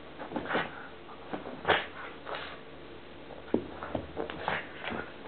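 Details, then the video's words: Columbo the pug making odd noises during play, a string of breathy snorts and short rough grunts, some sharp and louder, spaced irregularly through the stretch. "COLUMBO OUR PUG, PLAYING, FUNNY NOISE"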